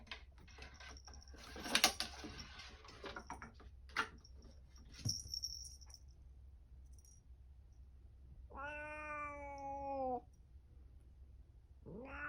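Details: A pet cat named Momo-chan, indoors near a cat tower, gives one long drawn-out meow of about two seconds with a steady harmonic stack, then starts a second meow at the end; earlier, tapping and rustling.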